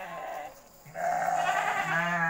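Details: Penned goat at night: a short nasal bleat, a brief pause, then a longer loud quavering bleat that keeps vibrating to the end, over a faint steady low hum.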